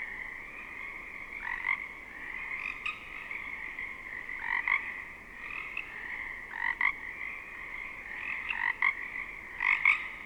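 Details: Pacific chorus frogs in a temperate rainforest wetland, distant and nearby, fill the air with a steady, reedy trill while nearer frogs break in with loud two-part ribbit calls every one to two seconds.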